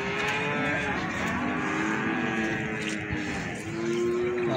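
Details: Cattle lowing at the Plaosan cattle market, Magetan, amid a sale of feeder cattle: several drawn-out, steady low moos overlap one another, heard against continuous crowd chatter and market bustle.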